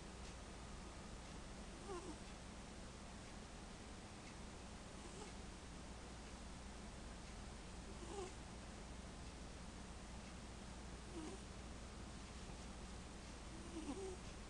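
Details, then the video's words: Domestic cat named Neko snoring while taking a nap indoors in a small room; soft, faint breathy snores recur roughly every three seconds over a steady low hum. "Neko snoring"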